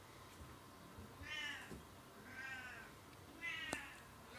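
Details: Oriental or Siamese cat RU*Meekahoo Giperion calling: three short, nasal meows in quick succession, roughly one per second, each arching up and sliding down, with a faint click and low room hum.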